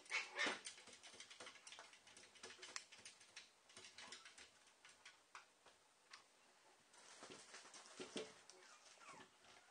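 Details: Papillon dogs, the mother Emy with her puppies: soft, high, scattered whimpers and squeaks in short bursts, loudest at the start, with rustling and shuffling between them.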